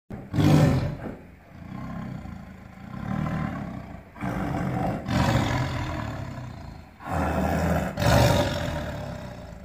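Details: Tigers fighting in a zoo: loud deep roars and snarling growls in several long bursts, the loudest near the start and end, with rough broadband noise between outbursts.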